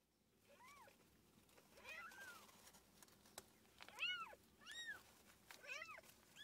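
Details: Mother cat with her kittens: several thin, high-pitched mews, each an arched rising-then-falling note, come irregularly and sometimes overlap. They grow louder toward the end, against a faint background hiss.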